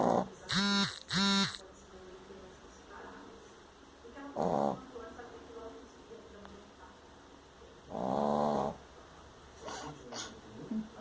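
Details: Sleeping pet dog snoring loudly, the snore likened to a lion's roar; harsh rumbling bursts with a buzzy tone, two quick ones near the start and longer ones later, separated by quiet breathing pauses.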